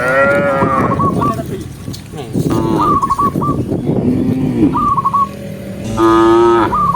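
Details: Dozens of cows walking in a line along a forest road, mooing: long, low, harmonic moos overlapping, with a short bright whistled phrase of quick chirps repeating several times above them.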